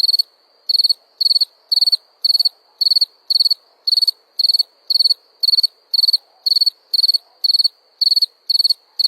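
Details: Cricket giving clear, shrill chirps, each a quick burst of pulses, repeated evenly about twice per second against a quiet background.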